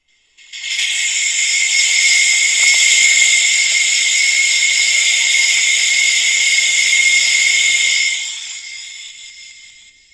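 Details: An Australian cicada, possibly a sandgrinder cicada (species unconfirmed), gives a continuous, harsh, metallic grinding buzz that sounds almost mechanical, likened to an angle grinder or something scraped on wet cement.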